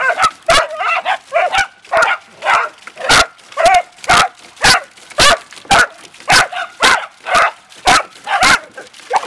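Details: Beagle and dachshund family dogs, among them Mama, her pups Rocko and Gizzmo, and Zeenie, a red dachshund, playing in water. Sharp barks and high yips come rapidly, almost twice a second, with splashing between them.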